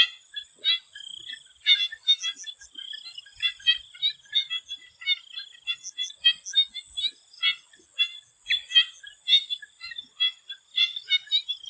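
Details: Dense frog chorus in a swamp in Thailand before sunset, with short staccato pulses and occasional longer trills packed closely together from many callers, over a continuous high insect buzz.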